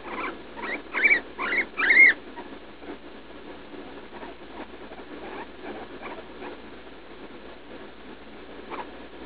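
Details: Pained squealing from Leslie, a pet guinea pig of about three, struggling to go to the bathroom on June 16 after a leaf lettuce treat. Four loud, sharp rising squeals open the clip, then fainter scattered squeaks follow.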